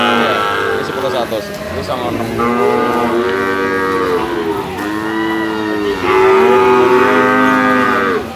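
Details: Jumbo sacrificial cattle weighing 500 kg and above, held in a pen for weighing, moo loudly and continuously: long, deep, harmonic-rich lowing calls rising and falling, several overlapping, with a louder drawn-out moo near the end.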